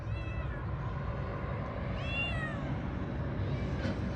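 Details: Cat named Niço making two short, bending meows about two seconds apart over a constant low engine-like drone, with a voice speaking nearby.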